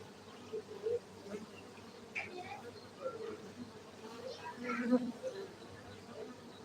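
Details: Steady droning of honey bees from a beekeeping site in Gayo, Aceh, Indonesia, a constant low buzz with short louder swells as individual bees fly near, distant voices faint.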